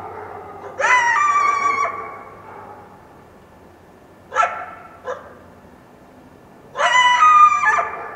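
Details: At dawn after a full-moon night, a wild coyote in the foothills of the Washington Cascades lets out drawn-out, quavering wailing yelps with bright, high overtones, separated by a short sharp yip and quiet gaps.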